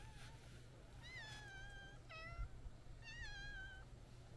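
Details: White-and-brown stray cat, very affectionate, walking toward people along a road while meowing: three clear tonal meows, each rising then gently falling, spaced about a second apart, over a constant low-pitched hum.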